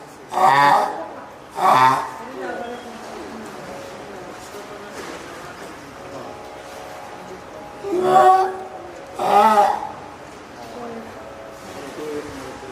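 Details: At Oga Aquarium in Japan, 9 May 2017, a hand-reared female spotted seal pup calls loudly, perhaps hungry or calling its keeper: four strong, nasal, harmonic cries in two pairs, with people talking and laughing between them.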